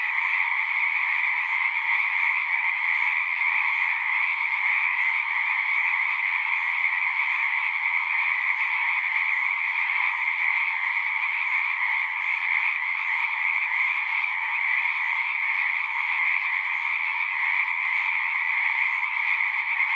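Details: Twenty seconds of frogs singing en masse in the wild, a relentless pulsing drone of overlapping croaks stacked in a higher and a lower band. Intensity barely varies, and no individual caller or other noise stands out.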